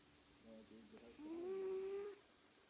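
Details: Flash, a pet cat, snoring while asleep indoors: a few soft, short nasal sounds, then one drawn-out whistling tone lasting nearly a second that rises slightly and holds steady before stopping, in a quiet room.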